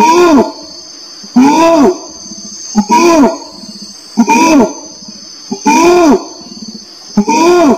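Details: Repeated bellowing orangutan calls, each a curved, rising-falling harmonic groan followed by softer buzzy rumbles, set against a continuous high-pitched drone.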